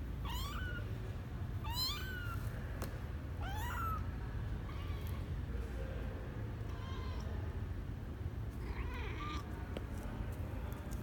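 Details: Misoka, a twelve-day-old male kitten leaving the box on his first adventure, January 12, 2020; loud, piercing rising-falling mews repeated about every one and a half seconds, then quieter cries, over low room rumble.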